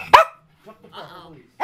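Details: A dog that often barks lets out two sharp, loud barks, one at the start and one at the end, with a person talking quietly in between.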